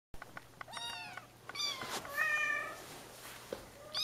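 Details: Bengal kittens exploring their playpen give short high harmonic meows, a few falling in pitch and some drawn out and wavering, over a quiet indoor background.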